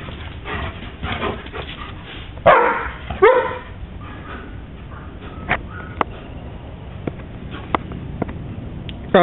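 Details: Pair of German Shepherds, Scooby and Roscoe, at play in the year's first snow; two sharp barks close together early on, followed by scattered clicks and soft thuds, with a person's voice nearby.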